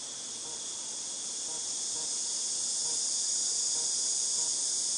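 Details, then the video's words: Cicadas recorded in August 2018: a dense, unbroken high-pitched hiss-like drone, steady throughout and slowly swelling slightly in loudness, with faint softer ticks far beneath. "Cicadas Tinnitus Sound"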